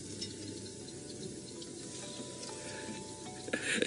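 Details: A steady hiss of background noise with a faint constant hum and a brief clatter near the end; no animal calls.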